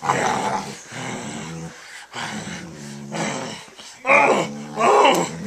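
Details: Short pit bull in a dog fight with its owner indoors, biting him; long bouts of low rumbling growls, then two louder, harsher snarling bursts near the end.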